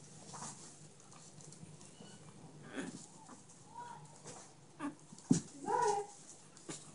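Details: Chihuahua puppy in Minsk, from a litter of ginger and blue puppies; two brief high whining whimpers, the second louder and wavering, amid soft rustling and handling noise indoors.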